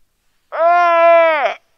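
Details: Lying on the ice shelf in Terre Adélie, Antarctica, a Weddell seal pup calls its mother, sunny still afternoon, November 2009: one steady, loud, humanlike bleat about a second long with stacked harmonics, dipping and wavering at the end.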